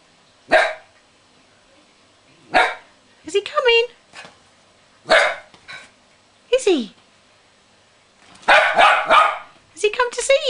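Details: Gizmo, a West Highland White Terrier, barks while playing with his cuddly toy whale indoors. Loud single barks come every two to three seconds, with a person talking in between and a quick flurry of barks near the end.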